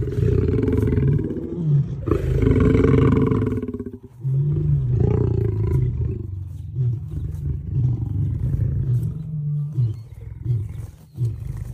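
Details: Female lion roaring: deep, rumbling bursts with strong low-pitched pulses, a loud first roar over the opening four seconds, then a series of shorter grunting rumbles that fade and surge again.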